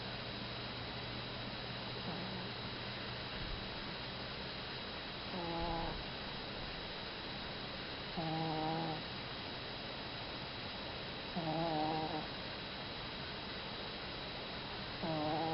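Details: Mimi the Chihuahua snoring in her sleep: short, buzzy, wavering snorts repeated roughly every three seconds, fairly even in loudness, with soft background hum between them.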